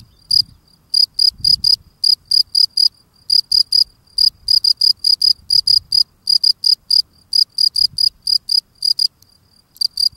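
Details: A male field cricket sings sharp, high chirps in quick bursts of three or four, repeated steadily, while cleaning his front steps.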